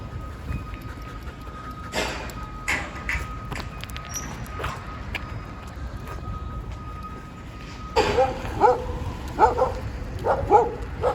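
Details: Two Siberian Huskies, overexcited after a stay at a dog hotel, on a 2.5-hour walk home. Low street hum and scattered clatter come first. In the last few seconds, short high yips and barks repeat roughly every second.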